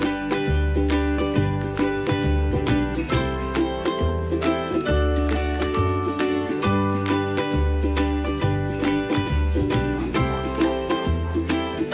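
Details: Bright plucked ukulele and mandolin tune over a bouncing bass line, with no animal sounds.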